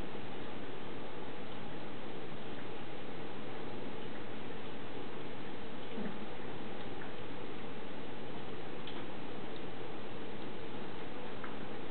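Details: Dull, steady indoor noise with a few faint ticks and taps, and no animal voice heard.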